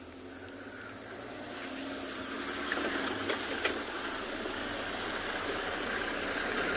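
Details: Broad, steady hiss and rumble like a running vehicle engine, with no clear animal calls.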